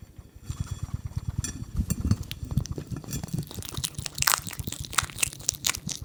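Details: On a lawn, a hedgehog chews and snuffles, recorded with a RODE NTG 3 microphone: low soft irregular pulses with crunching bites and sharp bright crackles growing more frequent toward the end.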